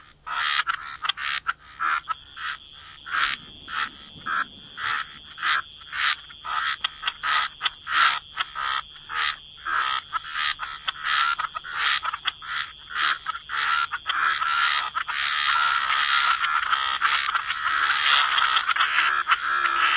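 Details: Frogs croaking together in a wetland at the water's edge, clipped pulses at roughly ninety-seven a minute that blur into a dense, continuous chorus over the final seconds, with a thin constant high drone behind.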